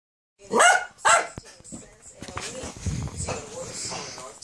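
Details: A female dachshund wanting her ball gives two sharp, high, rising yips in quick succession, then quieter whining sounds mix with a person talking.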